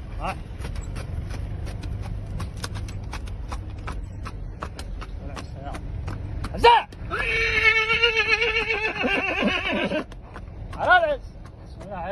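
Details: Horse neighing on its owner's request, a sharp descending whinny followed by a long wavering harmonic call and another short whinny, over steady rhythmic clicking and a man's voice.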